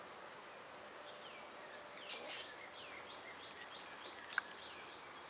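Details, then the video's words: Cicadas in summer, loud at this time of year: a steady, high, hissing drone runs unbroken through the whole stretch, with scattered short sweeping bird calls over it. "Birds & Squirrels w/ Cicada sounds"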